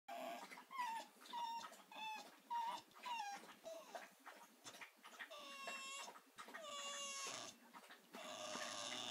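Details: A Staffordshire Bull Terrier female, feeling sorry for herself a week after a knee operation, keeps up her "singing": a series of high whines and drawn-out wavering howls, short cries repeating about every half second, then longer falling moans.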